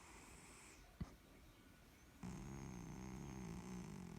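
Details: Pet male cat fallen asleep after being petted, snoring; a soft, low, breathy rumble running steadily through the second half, with a single sharp click early on.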